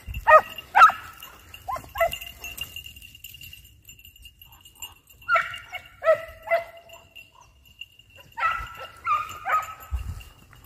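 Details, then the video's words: Hounds hunting hare, short clusters of yelping barks separated by quiet gaps, two or three barks per burst, with faint rustling between them. "Caccia alla lepre SCOVO LEPRE IN VISTA 2 VOLTE"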